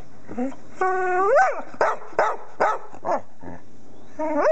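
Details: Pet female English Springer Spaniel singing: a long rising harmonic whine swelling into a howl, followed by short sharp yelps and another climbing whine at the end, with faint background murmur.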